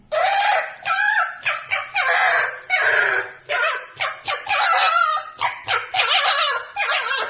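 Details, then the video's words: A pet red fox screaming strange sounds while asleep: about a dozen harsh, wavering, strained cries in quick bursts, each under a second with short gaps, rising and falling in pitch; no other sounds. "a red fox screams strange sounds while sleeping"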